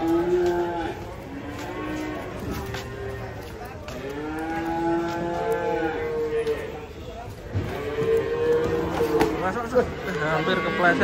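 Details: Several low, drawn-out moos from big cattle coming down off a truck on a wet, slippery day, calls repeating every couple of seconds with rising and falling tones amid handling noise and voices.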